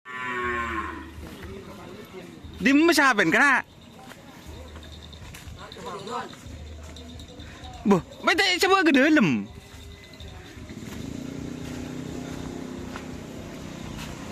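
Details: Karapan sapi racing bull on Sapudi Island: two loud, drawn-out moos with rising then falling wavering pitch, each lasting about a second, over low steady background hum.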